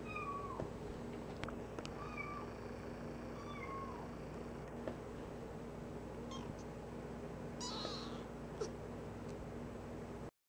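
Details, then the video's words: Three-week-old tortoiseshell foster kitten walking around an indoor play area, giving a few thin, high, slightly falling meows spaced several seconds apart, with faint rustles and a steady low background hum. "Tiny Tortie Foster Kitten Meows"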